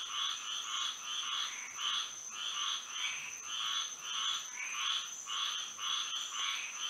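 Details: Moonlit Florida night with frogs calling together, throbbing bursts of croaks rising and falling somewhat unevenly, backed by a constant high, thin ringing tone.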